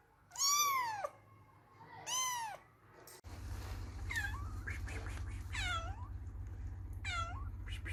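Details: Cats and kittens meowing: two loud, arched meows, then after a cut a low steady hum underlies several thinner, higher meows that fall and rise, overlapping each other.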